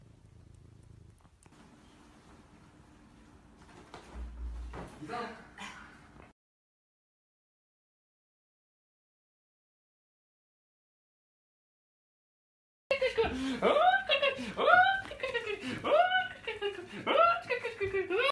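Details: After soft room noise and a stretch of silence, a shorthair Maine Coon cat gives a rapid run of arching meows, about two per second, each rising then falling in pitch, for roughly five seconds.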